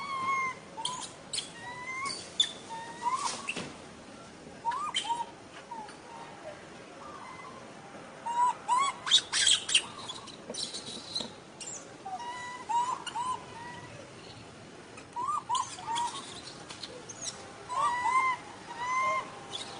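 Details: Little monkey crying and fussing for milk: short tonal squeals rising and falling near one pitch band with faint upper overtones, coming in irregular bursts of two or three, separated by brief pauses, with scattered clicks and rustling between.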